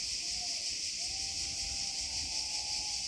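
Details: Cicadas sing at sunset during a heatwave in northern Italy, near Asti and Cremona, in a steady, high, hissing drone that fills the air without pause.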